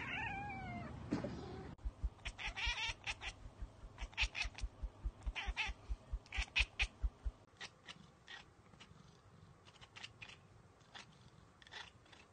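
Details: Domestic cat chattering at a bird or insect it cannot reach: a brief meow-like opening cry, then a long run of rapid, evenly spaced clicking bursts for about five seconds, followed by sparser chirping pulses over a quiet indoor background.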